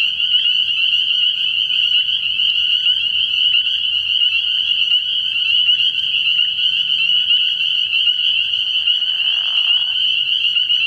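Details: Night chorus of spring peepers at a frog pond early in the year, high and insistent peeping overlapping into a continuous ringing drone, a short lower buzzy note near the end and faint low rumbling throughout.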